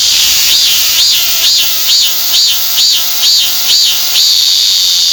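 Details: Song of the Korean cicada, one of Korea's most commonly seen cicadas: about nine shrill, arched pulsing notes repeated at a steady rhythm, a little over two per second, ending in a continuous high buzz.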